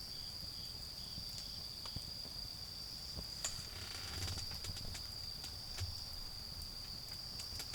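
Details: Autumn insects sing through the night beside a garden fire: an unwavering high trill, a brief hissing burst near the middle, sparse crackling snaps, and low rumbling noise.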